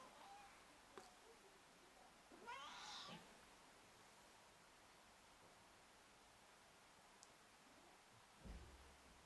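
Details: A silver Bengal cat gives one brief, rising, chirpy meow against a quiet background.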